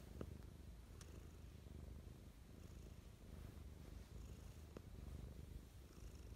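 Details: Mischa, a pet cat, gives loving morning purrs: a continuous deep, even rumble with occasional soft ticks and light rustling sounds.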